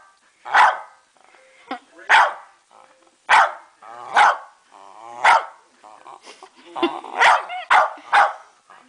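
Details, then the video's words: Female West Highland White Terrier barking to ask for her dinner: about eight short, sharp barks spaced irregularly, roughly one every second, with a person's voice talking between them. "Westie Barks For Her Dinner"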